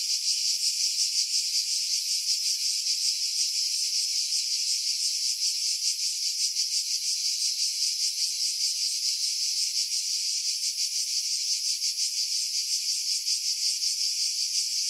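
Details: Pine-tree cicadas above Pefkos Bay on Skiros, Greece, in July 2018 keep up a steady shrill rasping drone with fast, slightly uneven throbs; strong wind buffeting was edited out of this Sony RX3 recording, leaving only the high insect buzz.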